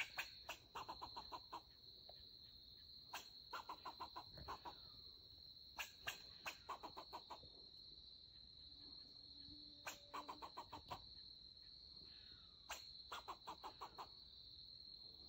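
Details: A melanistic black fox squirrel (Sciurus niger), a male angrily defending his territory against an intruding person, gives rapid bursts of harsh, barking chucks as an alarm call over a steady insect drone.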